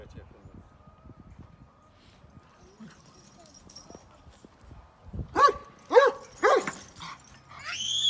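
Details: Pet dog, described as a sweet dog and tagged with grandfather's farm, gives three sharp, harmonic barks about half a second apart after a quiet stretch, with a child speaking Turkish and a rising voice at the end.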